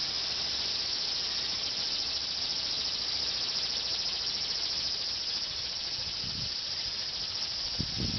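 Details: Cicadas in the evening in Japan, where the higurashi stays silent, keep up a steady, dense, hissing drone with no breaks and an even, unwavering loudness.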